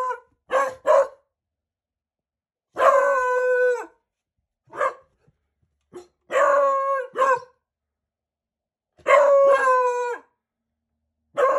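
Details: Four-month-old Beagle puppies learning to howl: short yips and barks break into drawn-out wavering howls with rich harmonics, several bursts of one to two seconds separated by silent gaps.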